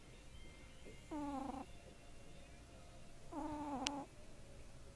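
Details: Sleeping kitten snoring: two tonal, harmonic breaths about two seconds apart, each steady then dipping slightly at the end, over a quiet hiss with a faint click.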